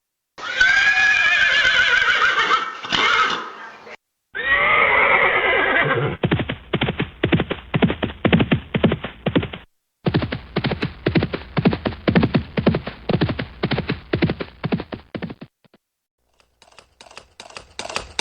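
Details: Horse neighing: a long, shrill whinny that quavers and falls over about three seconds, then a second shorter, rougher whinny, followed by a rapid run of hoofbeats at roughly two per second with brief silent gaps between passages.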